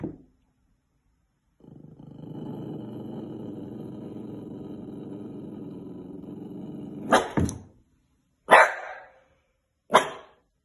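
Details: Puppy Thistle, a female on a County Kilkenny farm in Ireland, reacts to her mirror reflection: a long steady low growl, then three sharp barks about a second and a half apart.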